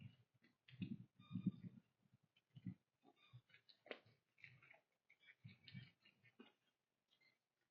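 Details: A whitetail doe and her fawn chew corn on a trail at sunrise in the fall woods, making irregular low crunching bursts and sharp clicks while birds chirp and wind moves through the leaves.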